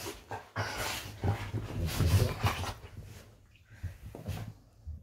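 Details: Golden retrievers wrestling playfully in bed; a steady low growling rumble with quick huffing breaths, easing into quieter rustles and a soft whimper near the end.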